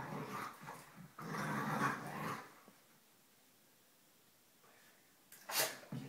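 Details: Polo, a smaller black dog, play-growling with his foster sister while showing teeth; two rough, noisy growl bursts in the first two and a half seconds, then near silence and a sharp clatter near the end.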